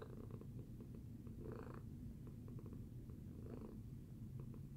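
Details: Low, even purring from Tacy the cat after breakfast, the rumble swelling twice with airy breaths spaced about two seconds apart.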